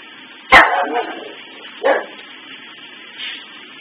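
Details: Maggie the dog barking at Christmas tree lights stuck flicking on and off on a sunset sensor: one sharp loud bark, then a softer second bark about 1.3 seconds later and a faint trailing sound.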